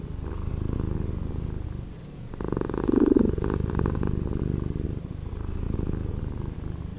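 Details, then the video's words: Domestic cat purring, slowed down, a deep continuous rumble of rapid low pulses that swells louder around the middle seconds, with faint brief overtones higher up and no other sounds. "Cat Purring"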